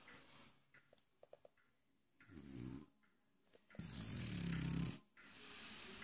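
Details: French Bulldog, a pet male, snoring while lying in his dog bed indoors: soft clicks, then a short low rumbling snore and a longer raspy, hissing breath, followed by another breathy exhale in a quiet room.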